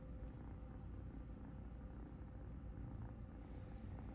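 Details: Kitten Cupcake purring while being groomed by blind cat Helene; a steady low rumbling purr runs throughout without pause, with faint soft clicks above it and a woman's voice speaking gently nearby.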